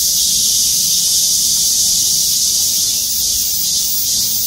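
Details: A dense chorus of cicadas in trees over a parking lot at Gwangmyeong city hall, South Korea, makes a steady, high, shimmering buzz with a faint pulsing beat.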